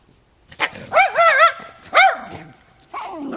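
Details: Puppy meeting a neighbour lets out loud wavering whines and yowls, a long warbling cry followed by a shorter rising one, then a falling whimper trailing off at the end.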